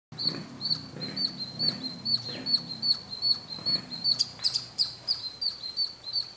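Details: A squirrel sitting on a roof corner at noon near Bangalore at Kolar Gold Fields, India, filmed with a Canon ZR500, chirps in rapid high sharp notes, about two to three per second, steady and insistent.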